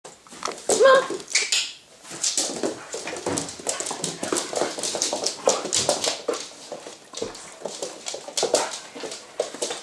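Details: Two puppies at play, Sasha, a Staffordshire bull terrier cross husky, and Schofield, a six-month-old Staffordshire bull terrier. A short high whine rises near the start, followed by a steady stream of scuffling, panting and play noises.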